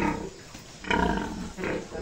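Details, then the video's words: A sow being bred by artificial insemination gives two harsh, rough grunting bursts, a longer one near the middle and a shorter one soon after, over a low, steady background rumble. "pakasta sa ating inahin thru AI"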